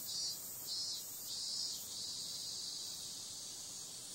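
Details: High, sizzling cicada drone on a summer night, opening with a few swelling pulses about twice a second before settling into an even, continuous buzz.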